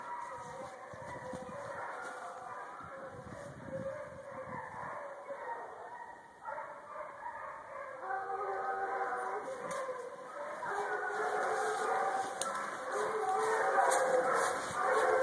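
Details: Hounds of the Cloudline hunt in full cry on a coyote's line through woods on a near 80-degree February day, 19 February 2011, led by the deep voice of Quigley; many overlapping baying voices build steadily louder as the pack passes.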